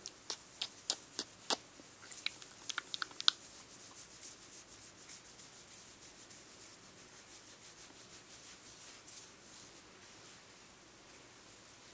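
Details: Soft rubbing and brushing noises with a burst of sharp clicks early on, in a quiet small room, with no animal voice or purring.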